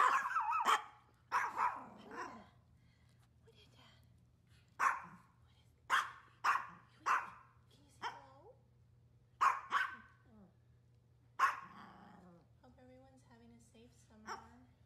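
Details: Maltese dogs at home on a hot summer day, sharp high barks in quick bursts, about a dozen over fifteen seconds, some doubled, with a woman's coaxing voice between them.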